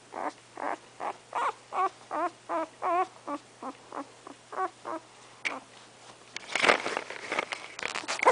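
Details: Remington, a three-week-old English Setter puppy whose eyes have not yet opened, gives a run of squeaky, wavering whimpers, roughly three per second for five seconds, then falls quiet before loud rustling and handling noise.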